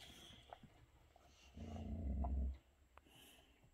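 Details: Older male Boxer irritated by a younger dog while enjoying a special treat; one low, rumbling growl lasting about a second, set against quiet indoor background noise.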